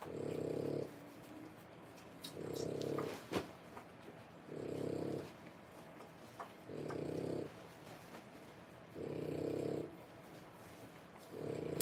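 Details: French Bulldog puppies at three weeks old, born 1/10/25: steady, low, breathy snoring pulses recurring about every two seconds, each lasting near a second, with occasional small clicks and taps between.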